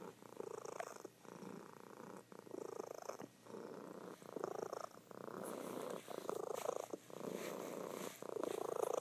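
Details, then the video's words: Sleeping domestic cat, female, purring loudly indoors; rumbling purr in long bursts of about one to two seconds with brief breathing gaps between, steady and continuous throughout. "Sleeping Cat Purring"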